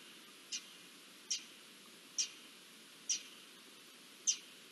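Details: Garden dormice sounding the alarm as an Iberian lynx approaches, 20 June 2024: five sharp, very high squeaks, each a brief downward flick, spaced roughly a second apart over a faint steady hiss.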